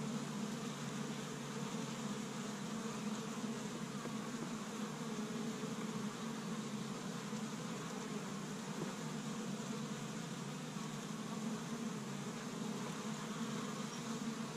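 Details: Honey bees busy at an established hive on the first warm day of spring in Michigan, gathering pollen from tree buds; a steady, dense low hum with a strong band around the hive drone, unbroken throughout.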